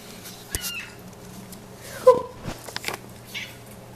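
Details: Pet cat making cute little noises: one brief chirping call just after two seconds, with a clear tone and a higher overtone, surrounded by soft clicks, taps and rustling in a quiet room.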